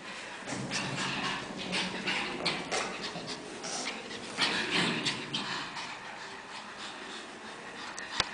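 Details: Pair of Pekingese puppies, five months old, panting in fast, uneven breathy puffs, roughly three per second, with a few stronger gasps and a sharp click at the very end.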